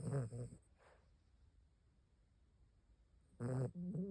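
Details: Fifteen-year-old Maltipoo asleep, snoring indoors: two short, low, rumbling snores about three seconds apart, with quiet breathing between them.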